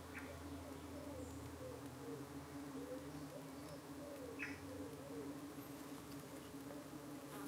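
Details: A colony of honey bees in the UK, late on a hot 25 June evening, under attack by flies trying to cling to them; constant deep humming of the hive throughout, with occasional faint bird notes and brief soft rustles.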